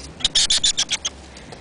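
A hedgehog gives a quick run of high, thin squeaks, quite unlike its usual snuffling.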